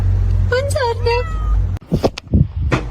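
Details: Pet cat in a home clip from a funny cat compilation, uttering three short meows in quick succession, then people talking and laughing with household noise.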